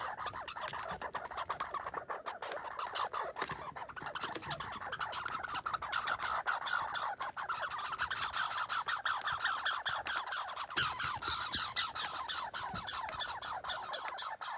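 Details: Fighting and boxing red squirrels bark in a long, dense stream of fast, scratchy pulses. The chatter runs almost without pause, uneven and rasping, with occasional louder bursts.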